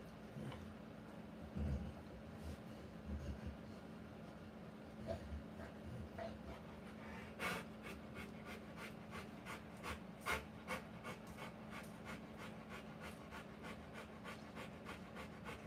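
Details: Rottweiler in labour, giving birth to puppies, indoors: a few scattered thumps and rustles at first, then fast rhythmic panting breaths settle in, sharp airy puffs repeating quickly through the second half.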